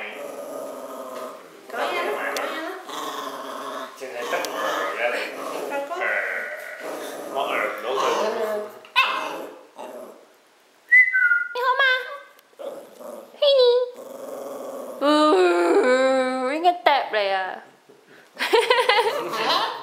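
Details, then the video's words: A pet dog indoors, described as angry and talking back to people, makes rumbling growls and then rising-and-falling whining moans and yowls in short bursts, interleaved with people speaking Cantonese nearby. "Talking and !@#$%^-ing Angry Dog"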